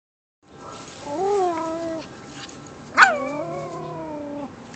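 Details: Pet Japanese Chin dog 'singing': two drawn-out, wavering howled 'woo' notes. The first lasts about a second. The second opens with a sharp yelp, then slides into a long, steady, slightly falling tone. Quiet indoor background.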